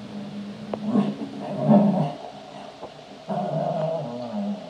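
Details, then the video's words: Cavalier King Charles Spaniel playing, giving low growling vocalizations followed by a longer, steadier drawn-out howling tone near the end, in a small indoor room. "Cavalier King Charles spaniel barking and playing and howling"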